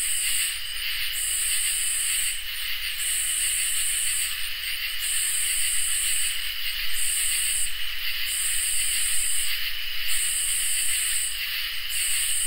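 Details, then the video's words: A summer night chorus of crickets and katydids. A constant ringing trill holds steady while harsher, higher buzzing pulses repeat roughly seven times, each lasting over a second and separated by brief gaps. "Crickets and Katydids in Summer | Ambient Night Chorus"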